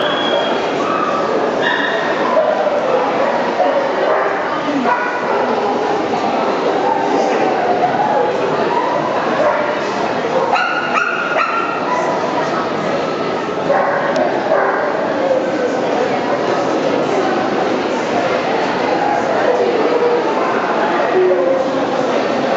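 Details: Alaskan Malamute puppies in Birmingham give yipping barks and whimpering whines, with people talking in the background; Alaskan Malamute.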